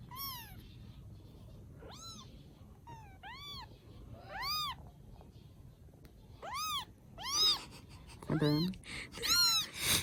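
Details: Rescued baby kittens in Vietnam call with repeated squeaky meows, roughly one a second, growing louder and more crowded toward the end, where a brief low voice slips in.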